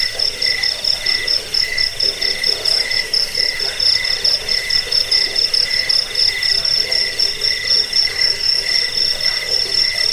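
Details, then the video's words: Shrill cricket song, meant to repel rats and help with sleep and bird training, runs in rapid clipped pulses for ten seconds, a lower whistling tone rising and falling beneath, constant hissy chorus behind. "Suara jangkik pengusir tikus pengantar tidur"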